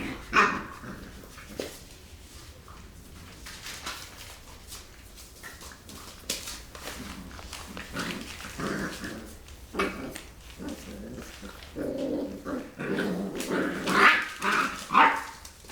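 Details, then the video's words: Rottweiler puppies play-fighting after eating: scattered small growls, yips and whimpers with scuffling, busier and louder toward the end. "Rottweiler Puppies Fighting"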